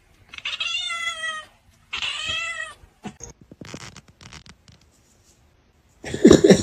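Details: Pet cat meowing indoors: two clear, bright meows about a second apart, each held briefly and falling away, then soft rustling and tapping, ending in a burst of louder noise.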